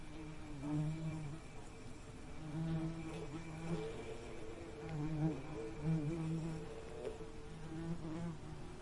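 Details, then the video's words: Bee buzzing steadily, a low droning hum with wavering pitch that swells and fades in short bursts throughout, with no other clear sounds. "Soothing Bee Buzzing Sound"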